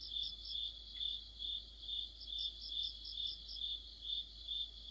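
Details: Crickets and other insects chorusing in the middle of autumn: a high, pulsing chirp repeated about twice per second, overlaid by a second, higher insect giving short buzzy bursts throughout.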